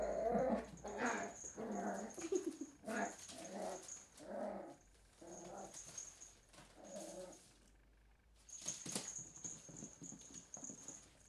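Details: Willow, a three-month-old Cairn Terrier pup, playing with an empty bottle indoors; low rumbling growls in short repeated bursts, with scraping and rattling of the bottle and a pause before noisier scuffling.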